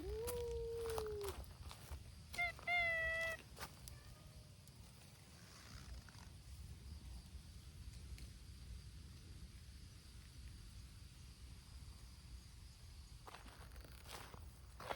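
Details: Noisy cat gathering of abandoned community cats, Hime's brown-tabby-and-white group, cared for by volunteers: a long level meow opens, then a cluster of short bright mews, followed by a quiet stretch of low outdoor background noise.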